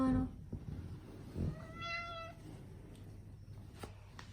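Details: Munchkin cat named Chacha meowing indoors during its fortnightly nail trimming; one clear drawn-out meow with rich harmonics, slightly rising then falling, preceded by soft handling noises and a brief low murmur of a person.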